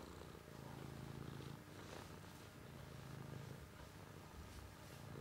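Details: Continuous low cat purr, a deep buzzing drone pulsing gently with each breath in and out, with faint background hiss throughout.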